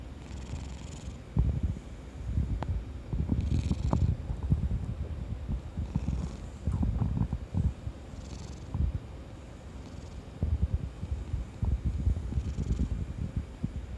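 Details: Kuri, an affectionate orange tabby cat sprawled out, purring in low rumbling waves that swell about every two to three seconds, with gurgling stomach noises from the owner's belly mixed in.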